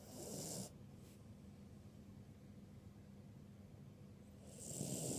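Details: Asleep, the ruby Cavalier King Charles Spaniel Birdie gives a moderate snore. A coarse, noisy snort opens the recording, then there are several seconds of soft breathing before another rough snore builds at the end.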